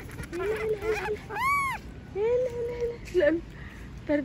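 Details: A monkey screaming because it does not want to be left alone: wavering, whining cries in short bursts, with one loud, sharp, arched scream near the middle and brief squeals at the end.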